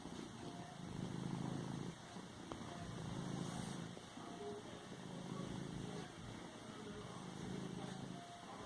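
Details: Domestic cat purring while padding and kneading a pillow; steady low rumbling purr in long rhythmic phrases about a second apart, with soft rustling of the cushion between breaths.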